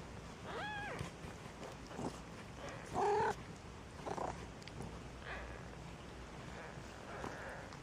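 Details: Maine Coon kittens in a Saint Petersburg, Russia cattery mewing: a rising-falling thin meow early on, a louder bent meow around the middle, then fainter scattered squeaks against low room noise.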